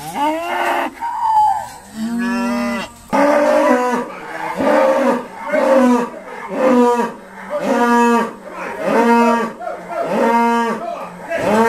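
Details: Dexter cattle of Irish breed lowing at Stone Meadow Farm during a noisy sorting day: a rapid run of short, steady moos, roughly one per second, overlapping voices, with a brief rising higher call near the start.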